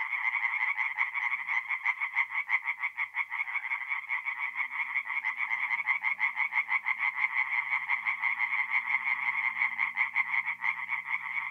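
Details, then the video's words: Tree frogs singing at night by a forest pond in north-east Italy in mid-April: a dense chorus of rapid, pulsed croaks overlapping continuously, with a faint low hum underneath. "relaxing forest pond by night with singing tree frogs"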